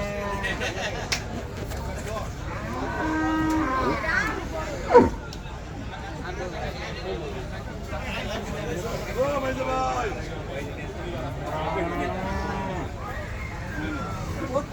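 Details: Cattle for sale at Patiljhap market on a hot day: a few low, drawn-out lowing moos rise and fall amid constant crowd chatter, men talking and general market bustle, with a sharp knock partway through.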